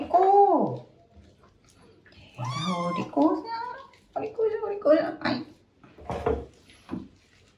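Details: Rescued male kitten Terra complaining during his first bath, indoors in a small room; an arched, falling meow opens, then a higher harmonic cry, mixed with a woman's soothing French speech.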